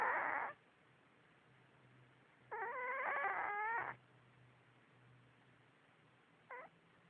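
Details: Sleeping on her back, Kasey the dreaming cat lets out a brief opening squeal, then a fluttering, warbling whimper of about one and a half seconds, and a tiny high chirp near the end. A soft low hum runs underneath.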